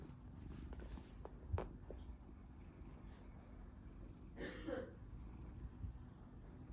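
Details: Large golden tabby Scottish Fold cat, staying calm while teased during play, gives a continuous low purr; brief rustling and handling noises break in now and then.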